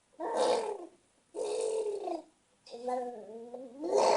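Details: Luca, a cat, producing odd drawn-out yowling cries: three loud, harmonic, moaning bursts about a second apart. The last burst has a wobbling tone that rises sharply at the end.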